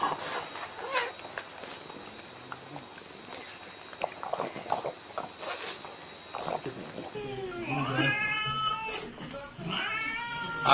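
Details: Domestic cat: people talk for the first seven seconds, then several drawn-out, wavering, harmonic meows come near the end, one sliding down and later ones rising and falling.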